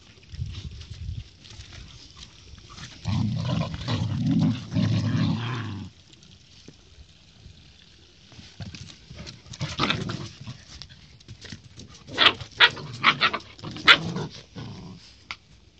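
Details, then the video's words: Siberian Husky puppy play-fighting with a golden retriever puppy; a rough, throaty growl sustained for about three seconds, then quieter scuffling and a run of sharp yips and snarls toward the end. "Husky puppy fight with a golden retriever puppy"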